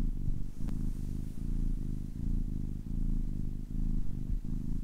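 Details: A 10-week-old kitten purrs in a low vibrating drone, alternating inhale and exhale phases about twice a second, with a brief soft click near the start.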